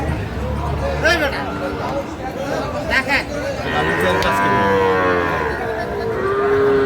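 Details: Sahiwal bull calves at a cattle market in Kurigram, Bangladesh, on 16 March: a long, low, wavering moo swells in the second half over a busy crowd, with men's voices haggling and background music.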